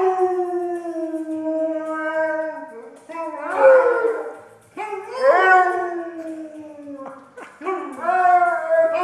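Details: A domestic dog sings along for its owners in loud howls, four phrases each starting high and sliding down into a steady held tone, with brief yips and a person's voice mixed in.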